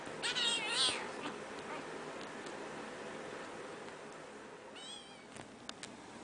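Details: Domestic cat, kitten playing with its angry mother; a quick pair of wavering high mews at the start, then a single shorter mew near the end, with light clicks and rustling.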